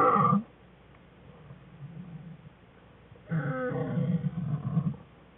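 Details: American black bear cubs Fern and Herbie playing in the den with mother Jewel, February 21, 2013; a cry cuts off, silence follows, then a loud wavering harmonic wail lasts about a second and a half.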